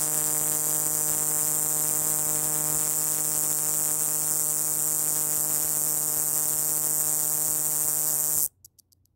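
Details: Male scrub cicada singing at full intensity in southern New Mexico, recorded on a phone whose mic was overloaded: a continuous, piercing high-pitched buzzing drone with steady humming tones beneath, holding unbroken for about eight and a half seconds, then stopping abruptly.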